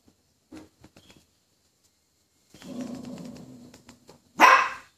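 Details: Scared poodle reacting to a toy poodle: a low rumbling growl for about a second, then one loud, sharp bark at the end.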